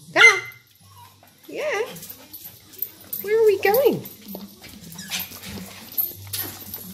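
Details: Pet dog excited about going to the beach, giving drawn-out, arching whining yowls in three main bursts, each rising then falling, with a person's excited questions spoken between them.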